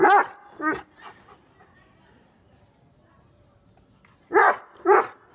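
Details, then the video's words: Angry Great Dane and Rottweiler, Sultan and Daku, giving loud harsh barks: two at the start, then a quiet gap, then two more in quick succession near the end. "Angry dogs barking"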